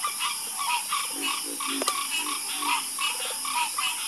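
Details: Harmonious frog croaking in a night chorus meant to lull listeners to sleep: rasping, pulsed croaks from several frogs, one lower groaning voice, a sharp click near the middle, steady high insect hiss throughout.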